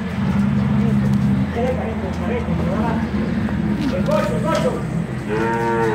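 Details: Dairy cows in a small dairy operation during separation of calves from the cows: a long, deep, droning moo opens. Scattered voices and rustling follow, then a brighter, higher-pitched moo at the end.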